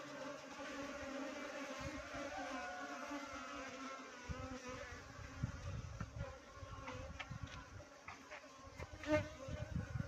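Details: A dense, steady droning hum from a Western honey bee swarm, with low thumps of wind or handling underneath.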